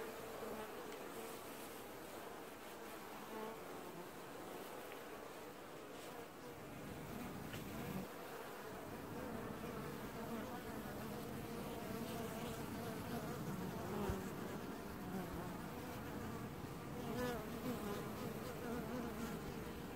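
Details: Honey bees washboarding at their hive in an apiary in early July 2019, a dense continuous buzz that grows louder and fuller after about eight seconds, with a low roar-like undertone.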